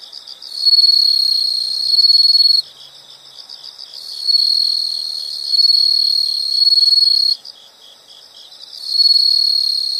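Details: Insects calling in a nature soundscape: loud, sustained high-pitched trills lasting about two seconds each, separated by softer rapid pulsing chirps, the pattern recurring three times with a faint steady chorus beneath.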